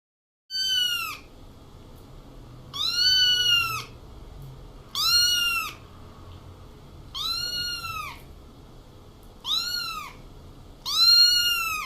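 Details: Kittens meowing: six clear, high, arching meows, each rising then falling and lasting under a second, spaced about two seconds apart over steady low background hiss.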